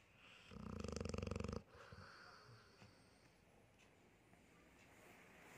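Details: Pet dog asleep gives a short vibrating snore, a fast buzzy rattle lasting about a second, followed by soft quiet breathing in a still room.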